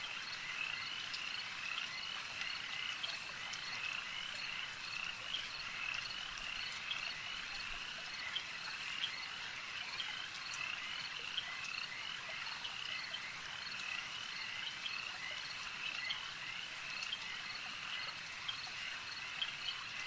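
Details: Frogs calling at a lake as part of a long nighttime nature ambience: a dense, steady chorus of many overlapping high croaks and trills, with scattered sharper notes over a constant hiss and no other clear sounds.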